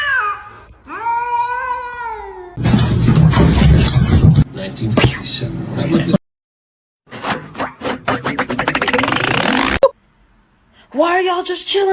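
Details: Kitten meowing indoors: an opening drawn-out, wavering meow, then loud noisy thumps and rushes, a shriek, and another short meow near the end, with people talking and laughing around it.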